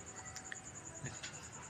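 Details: Cricket calling at night, a steady high-pitched pulsed chirping repeated about ten times per second throughout, over a faint background hiss and a few soft knocks.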